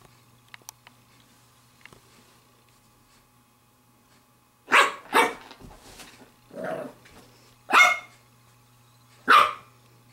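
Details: Seven-week-old female Pembroke Welsh Corgi puppy at play with a glove. Four seconds of near quiet, then a run of six quick, sharp puppy barks and yaps, some shorter and lower, over a faint constant hum.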